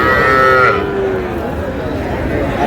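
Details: A Sahiwal calf among small bull and heifer calves bought by a Shariatpur farmer on 11 August gives one short, tonal moo that bends downward, followed by busy background chatter.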